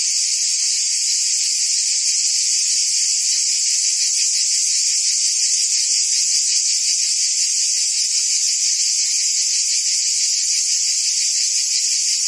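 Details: Cicadas buzzing in forest trees: a dense, unbroken high-pitched hiss. Under it runs a slightly lower, faintly pulsing band. The level stays steady the whole time, with no other sounds.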